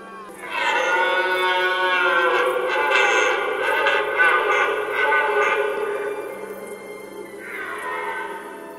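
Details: A red deer stag gives a long, deep, harmonic roar at the start of the autumn rut in the Barycz River valley, Poland, showing off his strength to attract hinds on a cool, foggy morning.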